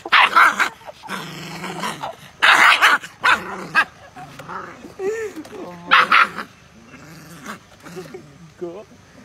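A Rottweiler puppy gives a few sharp, rough barks in short bursts, with people talking in between.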